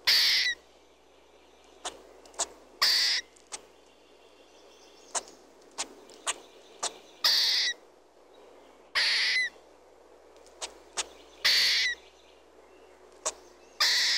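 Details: Squirrel calling with repeated loud rasping bursts, each roughly half a second long, coming every two to three seconds, with sharp clicks scattered between them and steady low hiss behind.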